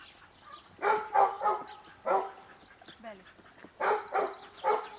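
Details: Cimarron Uruguayo dog during trick-dog training with hand signals, barking in short clustered bursts of two or three sharp barks separated by quieter gaps with faint background voice.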